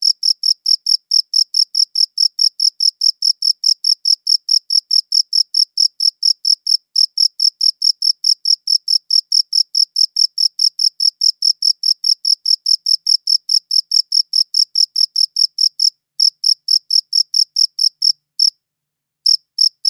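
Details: Cricket chirping, recorded with a good audio recorder: rapid, even chirps at about four to five per second, high-pitched and ringing with an overtone above, steady for most of the stretch before a few short gaps near the end.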